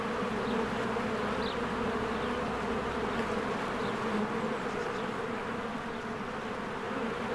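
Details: Honeybees flying in and out of their hive in spring, with flowers in bloom: a dense, steady buzzing drone with a low hum band, and a few faint, brief high chirps scattered through it.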